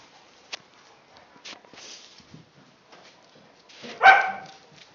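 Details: Tibetan Mastiffs (Do Khyi) at play: mostly quiet scuffling with brief soft sounds, then one loud, sharp bark near the end.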